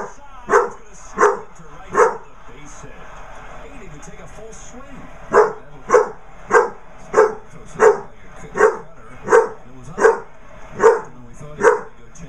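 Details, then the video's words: Basset hound puppy named Draper barking at a basset hound birthday card indoors: sharp, loud barks in a steady series, roughly one every half to three-quarters of a second, with a brief pause midway and a faint background hum. "Basset hound puppy barks at birthday card."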